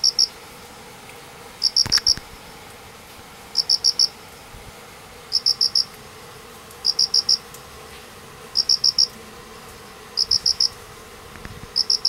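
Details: High-pitched cricket chirps from two hidden crickets beneath a painted spurge after a downpour, Manganji, Minamioguni, Japan, on 29 September 2016, also calling by morning; short trains of three to four clean pulses recurring at steady intervals, with a faint thump near the start.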